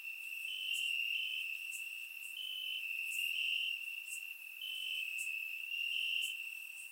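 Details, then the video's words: Several crickets singing at night in Bulgarian summer grass, a continuous high-pitched trill that swells and fades in overlapping bursts, topped by short regular clicks repeating roughly every quarter second. "Cricket Sounds - Crickets Chirping at Night"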